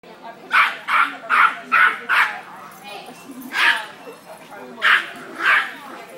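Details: Small 5 lb cairn terrier barking aggressively at a 200 lb St. Bernard inside a pet store: rapid sharp yapping barks in bursts, about five in quick succession, then scattered further barks, with a man speaking over them.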